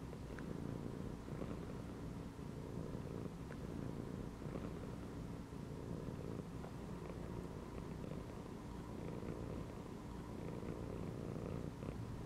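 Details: Domestic cat relaxing inside a gym belt gives a sustained deep purr. The vibrating rumble pulses gently in breath-length waves across the whole stretch, with scattered soft clicks.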